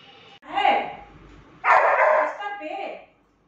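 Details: Saint Bernard puppy playing with its mother, filmed as it grows from two to fifteen months: two loud, rough, open barks, the second longer and trailing off, over a faint hum of background music.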